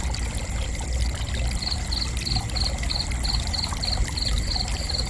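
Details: Cricket starting up after a second and a half, then giving rapid pulsed high chirps about three per second to the end, with a constant low rushing rumble underneath.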